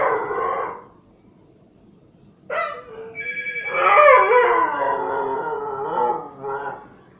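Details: Siberian Husky reacting to a ringing phone, giving drawn-out, wavering howl-like vocal sounds with rich harmonics after a short ring, rising and falling over several seconds.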